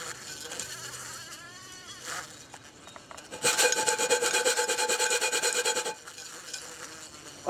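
An agitated bumblebee gives a loud, harsh, pulsing buzz lasting a few seconds, with human voices nearby.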